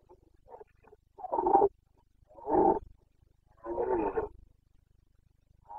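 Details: Rutting Carpathian red deer stag from Bucovina, Romania, 29 September 2022, breeding season. Three rough, throaty roars, each about half a second long, spaced roughly a second apart, after a few faint grunts.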